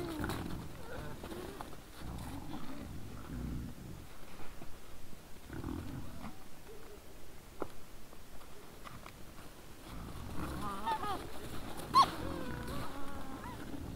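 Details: Several wild boars in front of a trail camera at 20:17 on 17 December 2022: deep rumbling grunts in bursts, with a few thin rising squeals near the end.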